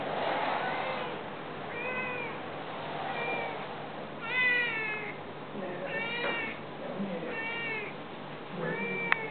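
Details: Sick Siamese cat with bandaged paws meowing indoors after someone left the room; about six plaintive, harmonic meows, some rising then falling, spaced one to two seconds apart, over a steady background hum.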